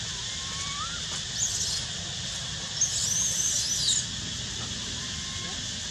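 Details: Young monkey siblings playing together; shrill, high squeals in short bursts, the longest running about a second, over a constant hiss of background noise.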